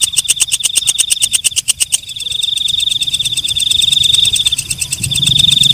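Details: Night katydid (walang kecek) singing after dark. Quick, evenly spaced dry ticks for the first two seconds give way to a continuous high, metallic buzz that carries on to the end. A soft low hum lies underneath.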